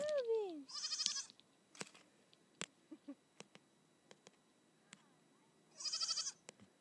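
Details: Nigerian Dwarf goat kid at play on a hillside alongside a companion goat; a sliding falling cry opens, then a wavering bleat near one second and another near six seconds, with faint taps and a quiet background.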